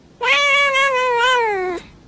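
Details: Domestic cat giving one long, loud meow that lasts about one and a half seconds. It is a clear, harmonic, drawn-out cry that slides slightly down at the end, with a brief start of another sound right after.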